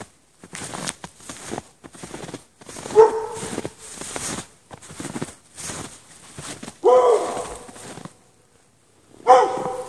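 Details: Dog chained outside in the snow at night for hours without shelter, 16 degrees, on 3 March 2014, between 8 and 11:30 PM: a run of about ten loud, harsh barks with short gaps, some rising into sharper yelps.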